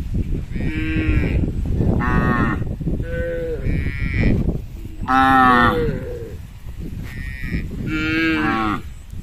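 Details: Hundreds of tame herded cattle crossing a small bridge on their way home to the shed; loud overlapping moos, about six drawn-out harmonic calls within nine seconds from several animals.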